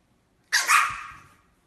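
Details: French Bulldog puppy named Louie, scolded as a bad boy, gives one sharp, bright bark that starts suddenly, peaks quickly and fades over about a second in a quiet room.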